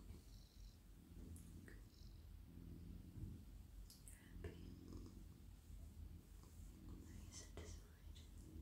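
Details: At night a friendly male domestic cat, stroked on head, neck and body in a lap, gives a deep, even purr under soft whispering and brief crackly rustles of petting.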